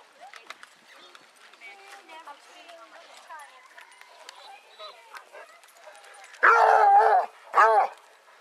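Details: Basset Hounds, one of 18 on a group walk round Belwade Farm near Dess, Aboyne, Scotland, on 10 August 2014: after soft human chatter, two loud harmonic bays ring out, the first long and the second short.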